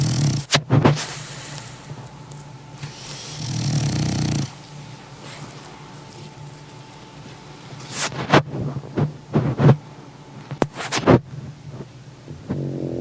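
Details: Heavy 20 kg French Bulldog snoring in sleep, with short low rumbling snore bursts near the start and around four seconds, separated by soft breathing and a few sharp clicks and knocks.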